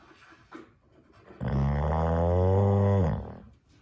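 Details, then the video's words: Sleeping female dog snoring with a cow-like sound: one long, low, droning moan lasting almost two seconds. It is steady and rich in deep overtones, then cuts off into a quiet room. "Dog snoring"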